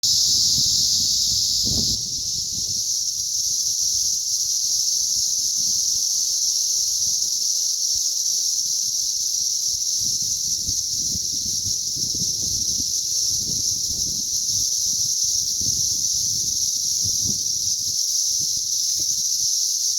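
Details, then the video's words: Cicadas during a mass hatch on May 20th, 2034: a dense, unbroken high-pitched droning chorus from many insects holds steady throughout, with faint low rustling and handling noise beneath. "ATTACK OF THE CICADAS"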